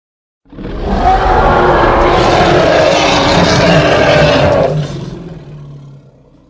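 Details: Hippopotamus in Congo giving a loud, harsh, broadband roar that holds steady for about four seconds, then drops away into a low, fading rumble.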